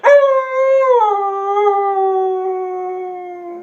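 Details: Siberian Husky howling in protest at being told to get down; one long sustained howl, starting higher then dropping slightly and holding steady, rich in harmonics, with a person repeating "down" around it.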